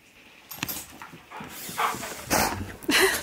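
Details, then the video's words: Impatient pet husky demanding to leave, making breathy hisses that break into short, higher whining cries near the end, with a voice talking around them. "Impatient Husky Demands We Leave!"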